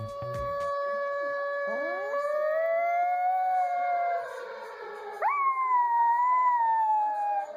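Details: A dog howling out of sadness, as dogs may when their owners are away from home. A long held howl swoops upward and wavers, then breaks off. A second howl begins with a sharp upward leap and slowly slides down.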